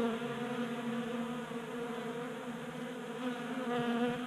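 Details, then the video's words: A crowd of honey bees at a table-top 3D printed feeder in a Colorado garage, in unseasonable January warmth. Their wings make an unbroken low hum with bright harmonic layers, slightly wavering as individual bees come and go. "Honey Bees Feasting from 3D Printed Bee Feeder"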